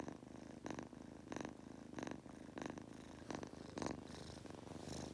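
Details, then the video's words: Munchkin kitten named Goku purring while falling asleep, a steady low rumble broken by soft breathy bursts roughly every half second to second, snoring-like rhythm indoors. "Adorable Munchkin Kitten- Goku Purring/Farting/Snoring while falling asleep!"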